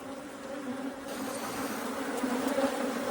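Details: Honey bees at a hive during honey harvesting in Korea: a dense, steady, droning buzz with a low hum band throughout, loudest toward the end.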